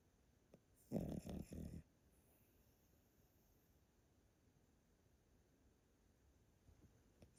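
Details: Yotaro, an elderly Pomeranian dog in Japan, sleeping at a relative's home and snoring loudly: one rasping, low snore bout of about a second, broken into three throaty pulses, then a quiet room.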